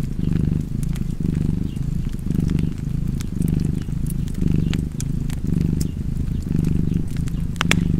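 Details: Cozy cat purr with fireplace ambience, a low buzzing rumble rising and falling in breath-paced waves about every second, overlaid by frequent bright crackles and pops from the fire.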